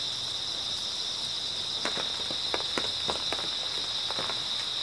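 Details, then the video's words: Grass insects on an early autumn night, a steady shrill high-pitched trilling drone holding unbroken throughout, with soft footsteps crunching through it at irregular intervals in the second half. "초가을 밤부터 새벽까지 백색소음 풀벌레 소리"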